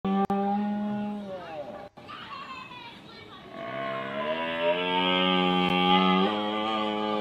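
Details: A red deer stag (Cervus elaphus) bellows in Bushy Park, London, UK, in long, drawn-out harmonic roars that slide downward before holding steady.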